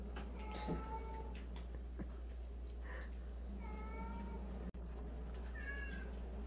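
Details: Cats from a group of 76, some of them rescued abandoned cats, meowing indoors; three separate drawn-out meows, each slightly falling in pitch, spaced a few seconds apart, with a soft click and constant low hum beneath.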